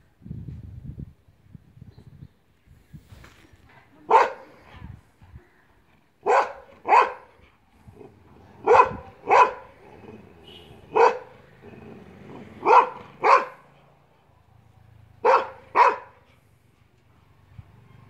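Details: Bully Kutta puppy barking: about ten short, sharp barks over eighteen seconds, often in quick pairs about half a second apart, separated by brief pauses, with soft low rustling and handling noises between them.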